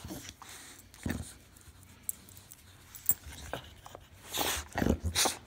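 Miniature Schnauzers give short, excited barks and whimpers, greeting their owner on arrival.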